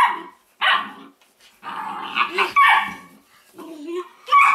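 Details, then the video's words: Weimaraner puppies from the Indigo and Magnum litter, playing and chewing on a tail; short yappy barks and squeaky growls in irregular bursts with brief pauses between. "Great Weimar pups!"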